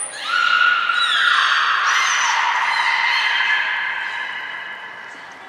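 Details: Belugas Hodoi, Taanya and Mirai at Port of Nagoya Public Aquarium during pool transfer and training, 23 February 2021; a loud, sustained tonal squeal with stacked harmonics, stepping and sliding in pitch for about four seconds before fading.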